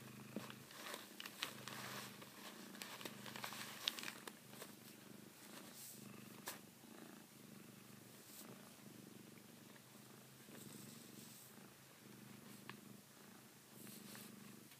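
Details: A Savannah cat purrs steadily while biting a favourite blanket it treats like a female cat's neck, a low continuous rumble broken by soft rustling and clicks.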